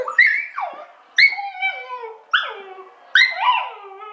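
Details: Pet dog howling like a wolf indoors: four separate wavering, sliding howls, each starting high and falling, spaced about a second apart, no other sounds.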